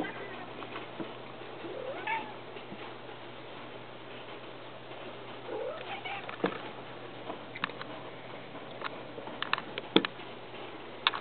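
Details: Pet cat Whiskey watching a squirrel on the window, giving two drawn-out, wavering meow-like cries, one early and one midway, with soft clicks and taps scattered through a steady background hiss.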